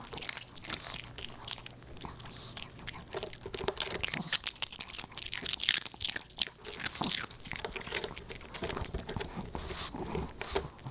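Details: Boba Bear, a Pomeranian puppy, snacking on fish and chips made dog-friendly; steady crunching and chewing with crackly, tearing bites throughout, close and indoors in a small room.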